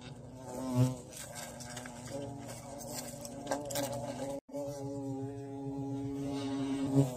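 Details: Bee caught while hunting bees in the bush, giving a steady low droning buzz with stacked harmonic layers, a brief cut-out just past four seconds, then resuming with faint rustling.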